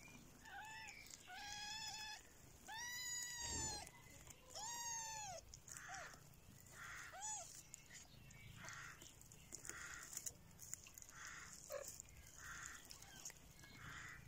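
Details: Mother cat with her growing kittens in a basket; a run of high, arched meows with clear harmonics, several in quick succession early on, followed by softer, shorter mews spaced about every second over a low background hum.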